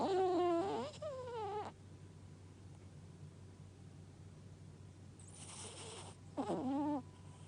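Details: Sleeping dog Gaku snores: a wavering, nasal whistled tone dipping and rising for about a second, then a long quiet pause, a brief rustle, and another wobbling tone that sweeps downward near the end.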